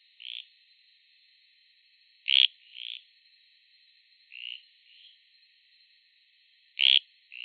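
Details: Costa Rican frog, one of several anurans living in Costa Rica, calling: short, fairly high croaking notes at irregular intervals, with two louder, sharper clicky bursts. Background otherwise silent.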